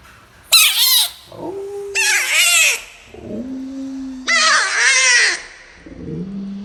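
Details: Bullfrog; defensive scream; defending itself against a perceived threat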